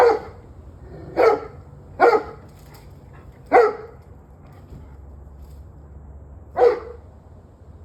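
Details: Dog heard 21 November 2023 at 7:06 pm producing six strong single barks at irregular intervals of roughly one to three seconds, with a quiet low background hum.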